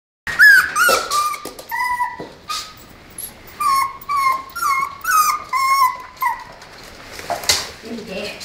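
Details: Tibetan Terrier at play, giving a run of short, high whining yelps, each a clear tonal note that holds level or dips slightly, about a dozen in quick succession with brief gaps, indoors.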